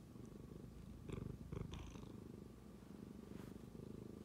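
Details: Indoor tabby cat that began purring suddenly after sniffing a phone: a low, pulsing rumble, louder around the middle, with faint clicks and handling noises.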